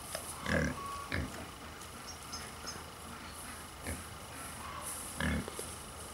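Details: Two endangered Hungarian Mangalica woolly pigs in their enclosure at Minizoo Wanne-Eickel in Germany's Ruhr area, grunting while cuddling. Short low grunts come in bursts near the start and again toward the end, with faint high chirps behind them.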